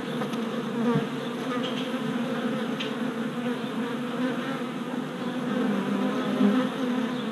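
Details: Worker honey bees making orientation flights at a new deep hive, 27 April 2017, four days after a package was installed; filmed on a GoPro Hero Session 5. A dense, steady buzz of many bees, low hum with harmonics, small swells as individuals pass close.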